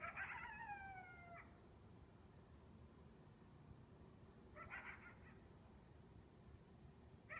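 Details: A lone coyote at 2 a.m. on a balmy, windless summer night gives high, quavering yelps over the low, steady rumble of a distant freight train.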